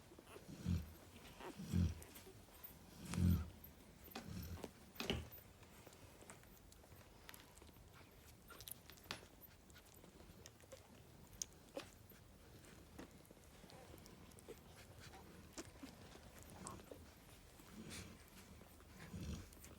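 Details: Narla the Cane Corso, lying with her puppies, gives four strong low snoring rumbles about every 1.3 seconds, then her breathing softens to faint rumbles amid light clicks and rustling.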